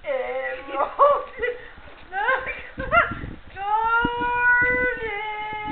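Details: Siberian huskies at a backyard breeder kennel start with short, rising yips and chirpy barks, then settle into one long, level, clear howl for the final two seconds.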